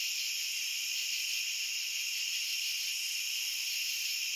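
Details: Steady massed chirping of crickets, bright and piercing, forming a seamless high trill at constant volume, with no other sounds.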